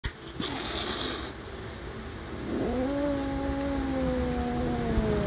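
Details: Pet cats Adi and Asia, a couple said to fight before loving, one giving a long drawn-out yowl that starts low, swoops upward and holds a steady wavering tone for nearly three seconds, with a burst of rustling noise at the start.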